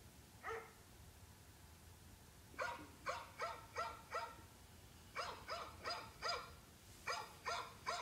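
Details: Dog barking in short sharp bursts, a single bark then runs of three to four quick barks separated by brief pauses, over a low steady background hum.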